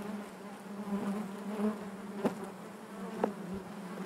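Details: Honey bee colony humming inside the hive: an even, low buzzing drone throughout, broken by two sharp faint clicks.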